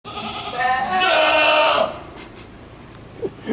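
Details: Goat bleating: one long, loud, harmonic-rich bleat lasting over a second with a wavering tone, followed by quiet background and faint clicks.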